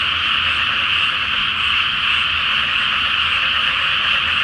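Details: Frogs in a great night chorus over a flooded rice field before planting, under a full moon: a dense, unbroken wall of croaking trills fills the air, steady throughout, with a faint low hum beneath.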